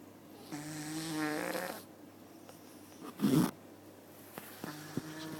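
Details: Cat asleep in a cat cafe giving two buzzy, rasping snores a few seconds apart, with a brief rustling thump between them.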